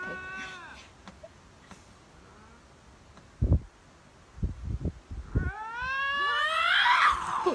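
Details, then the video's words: Lynx screaming match: a man talks and exclaims amid a few thumps and knocks, then a loud rising and falling caterwaul scream, strained and harsh, takes over for the last two seconds. "Lynx screaming match"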